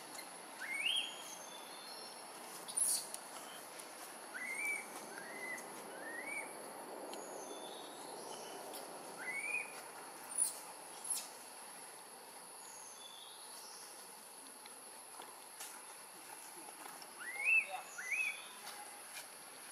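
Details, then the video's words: Newborn baby macaque in Siem Reap Province, Cambodia, crying loudly from hunger for milk after the monkey Tarzanna kept her for a long time. Short, high, rising cries, often in close pairs, recur through the recording over steady hiss. "Newborn Baby Monkey Crying Loudly Hungry Milk"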